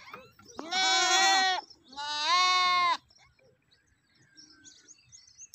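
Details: A goat gives two loud, wavering bleats, each about a second long, followed by quiet.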